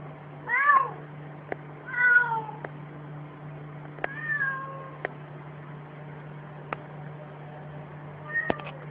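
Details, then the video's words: Domestic cat meowing after being caught barking by a human: four separate meows, the first two bright and wavering, a longer falling one near four seconds and a short one at the end, with sharp clicks and a steady low hum. "Cat gets caught barking by a human and resumes meowing"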